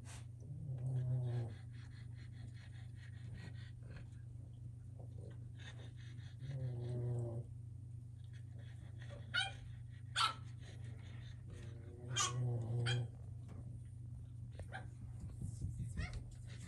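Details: Boston terrier puppies playing together on a wobble disk enrichment toy indoors: three short, low, harmonic growling whines spaced several seconds apart, with scattered clicks and thumps from the toy and paws.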